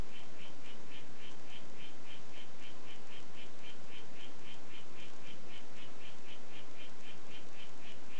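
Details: Harlequin poison frog of the "White Footed" form calling: a steady, even series of short high chirping notes, about three per second for eight seconds, over a loud constant hiss.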